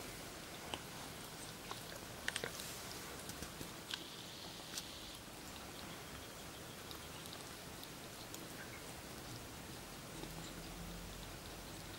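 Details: Quiet indoor room with faint rustling, sniffing-like scratches and a few soft clicks and taps, no animal voice heard.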